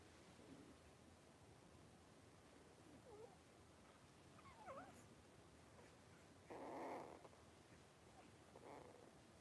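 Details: Five three-week-old blenheim Cavalier King Charles Spaniel puppies, born on New Year's, wrestle and play in an indoor puppy pen. Short, thin high squeaks and whines, then a louder rough yelp near the end, over low room hiss.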